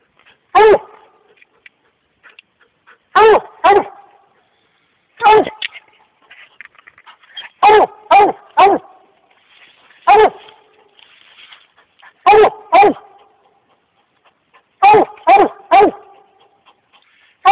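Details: American Leopard Hound barking treed on a raccoon in swamp country; loud harmonic chopping barks, mostly in pairs or triplets every two to three seconds, with a man speaking quietly between bursts.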